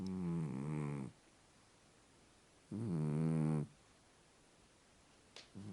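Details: Vayt, a funny Scottish Fold house cat, snoring while sleeping sweetly indoors: two low, harmonic, rasping snore breaths about a second each, separated by a quiet pause, with a small click near the end.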